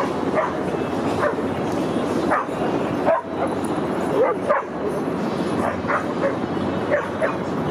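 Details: At a dog park in September 2015, Rudy the Boston Terrier is heard as scattered single barks and brief yelps a second or so apart, set against continuous open-air background rush.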